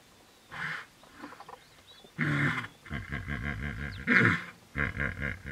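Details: Hippopotamus in a territorial fight, giving deep, pulsing grunts with a strong low rumble and rhythmic honking bursts in runs of about a second, repeated several times, with faint bird calls in the background.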